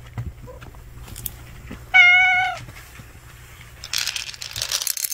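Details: One of a stray cat family gathered at a meal gives a single strong, steady meow lasting about half a second, with soft clicks before it and a burst of rustling afterwards.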